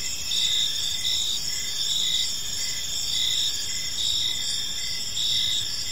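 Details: Crickets chirping on an evening in a park: a dense, steady high-pitched shimmer of several callers, with softer pulsed chirps beneath it, pulsing in bursts about every half second. No other animals or people are heard.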